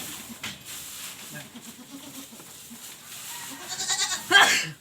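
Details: Penned goat, shut in because of the heat, lets out one short, loud, strained bleat at the very end, after a quiet stretch of soft speech and background shuffling.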